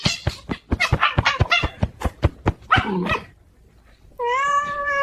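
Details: Cat in a funny short giving a rapid run of short, choppy chirping calls for three seconds, a pause, then one long, steady, tonal meow held to the end.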